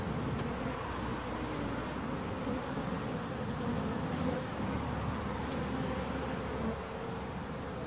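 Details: Bees giving a continuous low buzz, a thick steady hum with a deep rumbling undertone, level throughout before easing slightly near the end.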